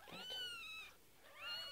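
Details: Kitten aged nine days lets out a long, level, tonal mew that falls slightly at its end, then a second rising mew after a brief gap. No other sounds compete.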